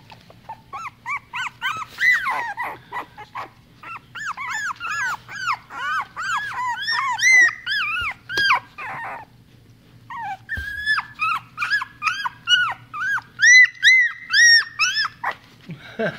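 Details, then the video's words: Miniature Rat Terrier puppies: a chorus of rapid, high, arching whines and yelps, several overlapping, about two per second in bursts with a short pause midway, over a steady low hum. "Rat terrier Miniature pitcher puppies"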